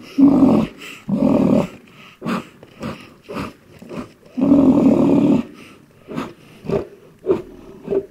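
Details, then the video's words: A black rhinoceros (Diceros bicornis) gives harsh, throaty growling roars in long bursts, then shorter snorting puffs, as an aggressive display. "The aggressive sounds of black rhinoceros"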